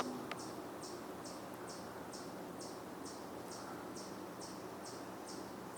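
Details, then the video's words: A chipmunk repeats a high, sharp chip about twice a second, steady and unbroken, over soft woodland hiss on the Cornell campus, Ithaca, New York, 27 June 2024, evening; possibly vocalizing because of a Red-tailed Hawk in the woods. "that chipmunk could very well be vocalizing because of a hawk in the woods"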